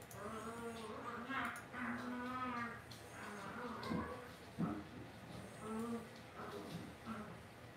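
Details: Cavalier King Charles Spaniel puppies raised indoors in a home puppy pen: low, drawn-out nasal whines and soft grunts overlap in a steady stream, several short moaning calls rising and falling, with faint room noise.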